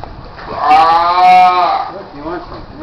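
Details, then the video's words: Seals at Morro Bay while people toss them fish: one loud, drawn-out, nasal moaning call lasting about a second, rising slightly then falling, with people chatting and further rough low grumbles after it. "Morro Bay Seals Annoying Sound"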